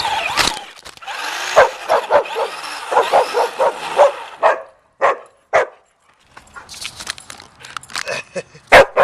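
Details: Excited puppy chasing a remote-control car: a quick run of regular yapping barks over the first few seconds, a brief pause, then scattered single barks and faint rustling.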